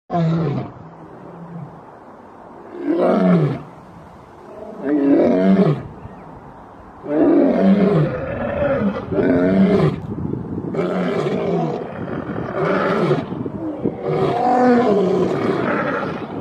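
Male lions roar in deep, throaty bursts, each swelling and fading, repeated every couple of seconds.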